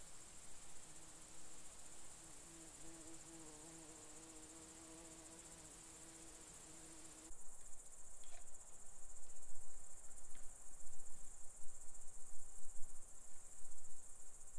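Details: Red deer stag during the 2021 rut in the Czech Republic, drawn in by a lure imitating a hind in season: a long, low, steady groaning roar of stacked harmonics lasting about seven seconds before cutting off, over a constant high buzz of crickets.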